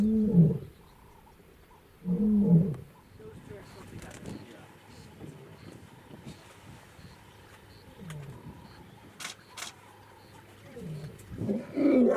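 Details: Lion in Olare Motorogi Conservancy, Masai Mara, Kenya, filmed February 2019: deep grunting roars at the start and near two seconds, then quieter low calls, with a final loud burst at the end; people talk softly in between.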